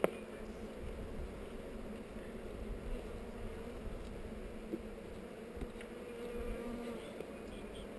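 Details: Bees at a heather hive under inspection, GoPro recording: a continuous dense buzzing hum from the colony throughout, broken by faint scattered clicks.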